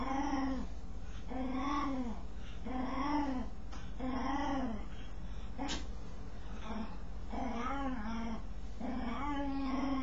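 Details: A dog scratching itself gives odd, repeated vocal groans. Each is a brief arched whine, rising and dropping, and they come in quick succession with a short sharp knock near the middle.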